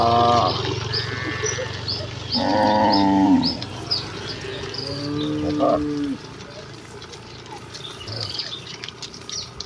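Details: Village cattle herd hurrying gladly to the pen: three low, rich moos in the first six seconds, the middle one loudest, followed by quieter rustling and faint high chirping.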